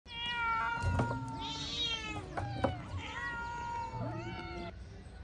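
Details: Domestic cat meowing several times in quick succession, each meow a short wavering tone that rises and falls, with soft taps and clicks between calls and a low background hum.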